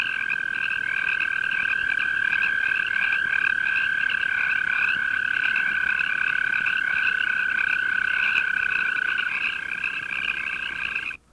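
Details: Mating call of the arroyo toad, Bufo microscaphus californicus: one long, level, high-pitched trill sustained about nine seconds before stopping, with a continuous pulsing chorus at a higher pitch running throughout.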